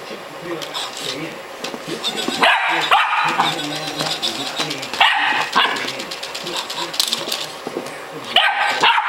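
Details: Twelve-week-old female Staffordshire Bull Terrier puppy trying to get her bed back from a robot dog, giving a few sharp, high yappy barks in short bursts, with televised sports commentary talking continuously in the background.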